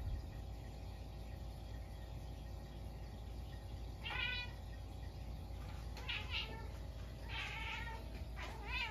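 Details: At midnight on a snowy day, a Munchkin cat gives a string of short, wavering meows after a few quiet seconds, reacting to a stink bug that wandered indoors.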